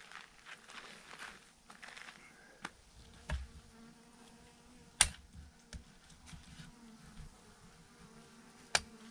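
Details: Massive clump of thousands of honey bees swarming on a branch: continuous low droning buzz with faint harmonics, punctuated by a few sharp knocks and brief low thumps.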